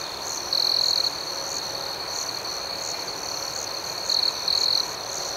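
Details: High, shimmering chorus of crickets at night, steady and rhythmic. Louder trills from a nearby cricket cut in early on, followed by two shorter bursts in quick succession later.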